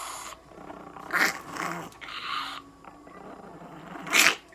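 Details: Chihuahua named Nana, aged two years eight months and weighing 3850 g, under veterinary examination at a Nagoya clinic, with an elongated soft palate. Breathy, snort-like noisy bursts come in three spaced outbursts, with a faint low growl and a person talking nearby.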